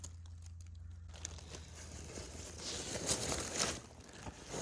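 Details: Crinkling and crunching handling noise over a steady low hum, with rustling bursts; no animal voice heard.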